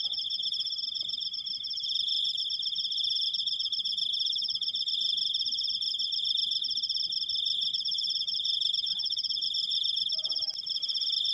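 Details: Unbroken high, pulsing cricket trill running evenly from start to finish, with a faint brief low tone and a click near the end.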